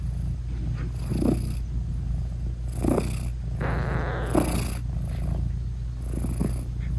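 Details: British Shorthair mother cat nursing her newborn kittens, whose eyes are still closed, talking to them: a steady low purr runs throughout, broken by three short rising meows about every one and a half seconds.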